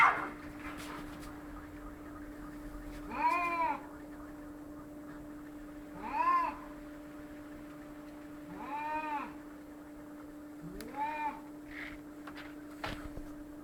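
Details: Fighting cats trading drawn-out arched yowls, four main calls spaced about every two to three seconds, each swelling and fading, over a constant low hum and faint clicks.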